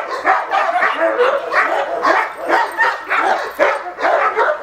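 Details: Male Cane Corso doing attack training, giving a rapid series of hoarse, forceful barks at an even pace of about two to three per second.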